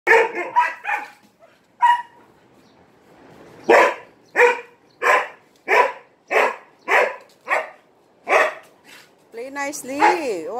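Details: A dog barking for attention while playing with three Malinois: sharp barks in bursts, a quick run at first, then steady single barks about every half second, ending with a rising and falling whiny vocal sound.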